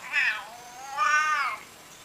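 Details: A pet cat utters two plaintive meows: a brief rising-falling cry, then a longer, strained mew that arches up and fades. No other sounds are heard.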